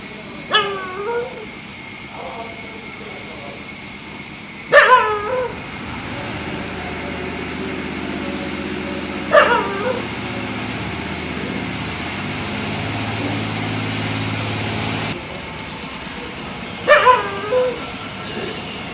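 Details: A dog barks after seeing a fox during the day. A quick cluster of yappy barks opens, then single loud barks come every four to eight seconds while a low engine-like drone runs through the middle.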